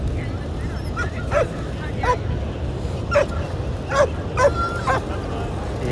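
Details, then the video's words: A leashed dog on a crowded dog beach in San Diego barks at the other dogs. There are about six short, sharp barks over six seconds, with a man talking over them and steady outdoor background noise. "Yep, the dog on the leash is barking at the other dogs."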